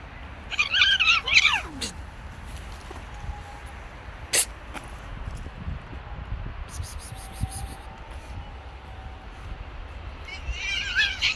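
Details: Stray street cat, male forcing himself on a female, utters a short burst of wavering meows at the start and another faint cry near the end, with long quiet stretches, clicks and outdoor noise between.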